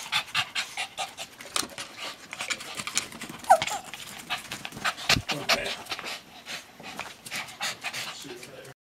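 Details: Havanese puppy at play with another dog indoors, breathing in quick, rhythmic, breathy pants repeated steadily throughout, with scuffling paw and movement noises and a short squeaky whine partway through.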